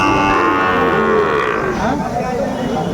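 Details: Sahiwal bull at a busy cattle market in Bangladesh where Noakhali farmers buy bulls, 21 August 2024: a loud, drawn-out moo with a falling tone, overlapping with people talking and bargaining.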